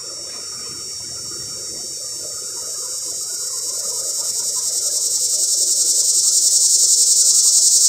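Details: Cicada calling to mate from up in a pear tree, recorded close by: a dense, shrill, high buzz growing louder over the clip, pulsing quickly and evenly, roughly three to four throbs per second.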